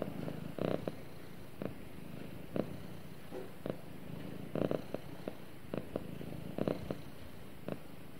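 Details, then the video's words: Cat at snuggle time with its owner, purring in a soft, even low rumble, overlaid with scattered brief scratchy bursts from close handling or fur contact. "Cute Cat Snuggles With Owner And Purrs"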